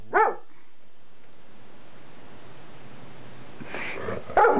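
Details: Levi, a pet English Springer Spaniel, barks at a camera he dislikes: one sharp, harmonic-rich bark opens, then a quiet pause with low background hum, then two more loud barks close together near the end.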